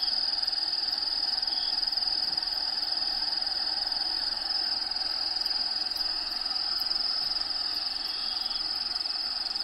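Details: Inside an actual vivarium housing a bearded dragon, Diego, crickets keep up an unbroken high-pitched trill with a fast, even pulse, and habitat sounds play in the background.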